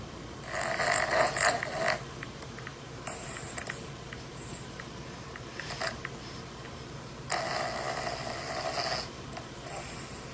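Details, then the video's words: A sleeping dog snoring loudly: breathy, rasping snores come in bursts of one to two seconds, with quieter gaps of roughly two to three seconds between them. "كلب يشخر"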